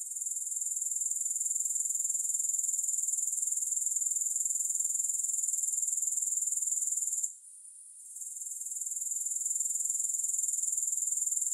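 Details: Grasshoppers in a long relaxation recording without music: a steady, very high, shimmering buzz pulsing rapidly and evenly, breaking off briefly near the seven-second mark before swelling back to full strength.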